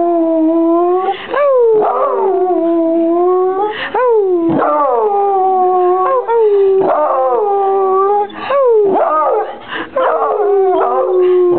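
A beagle howls in long, wavering tones that swoop up and then slowly sag, again and again.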